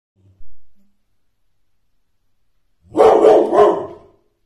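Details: Airedale Terrier, a one-year-four-month-old male in Poland, gives a short doubled bark, two rough broadband bursts close together after a brief thud and a long silence.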